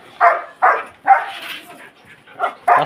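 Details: Five loud, rough barks from a Belgian Malinois, spaced roughly half a second apart with a brief gap before the last two.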